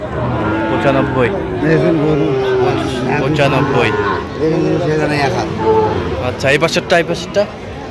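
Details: Sahiwal bull calves at a cattle market serving Dhaka farmers, Bangladesh, 17 October 2025: several low, drawn-out moos rise out of steady human chatter and market noise, with people talking throughout.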